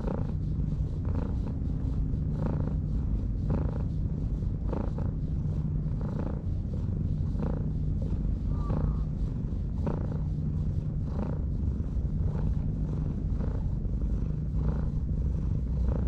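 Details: Stray cat sleeping on a breakwater in Japan purrs while being stroked; a steady low rumble throughout with soft rhythmic pulses roughly every second, breath-like swells in the purring, faint outdoor background.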